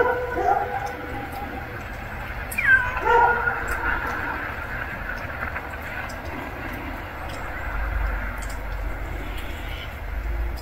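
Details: Hungry stray kitten giving a faint call at the start, then one clear falling meow near the third second, with steady low background noise throughout.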